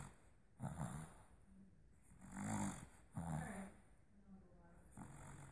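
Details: A Boston Terrier puppy, dreaming in its sleep, gives low, muffled whimpers and snuffling grunts in short bursts.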